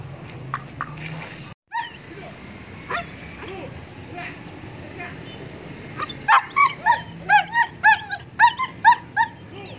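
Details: Kohati Gultair dog up for sale in Pakistan: after a quiet stretch with voices, a quick run of about ten sharp, rising-falling yelps follows in the last few seconds.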